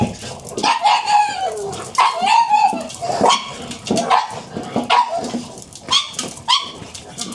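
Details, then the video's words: Pug at breakfast giving a run of short high yips and barks, roughly one every half second to second, mixed with clattering household noises. "pugs breakfast 巴哥早餐"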